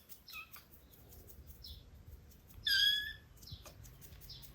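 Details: Rescued kitten found in an attic, 255 g on arrival, on day 27 of bottle-feeding foster care: a brief high mew near the start, then one loud, clear, harmonic-rich mew lasting about half a second, amid soft indoor clicks.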